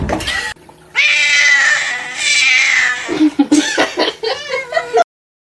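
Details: A cat gives a long, drawn-out, high, tonal meow lasting about two seconds, holding steady then sagging slightly, followed by a few shorter broken cries and some noise before it cuts off.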